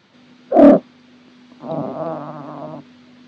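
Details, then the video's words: Orange male Maine Coon cat relaxing at home, making odd sounds while stretching: a short loud squeaky note, then a longer low, buzzy, grumbling murmur lasting over a second, in a quiet room. "This Floofy Boy Makes The Weirdest Sounds When He Stretches"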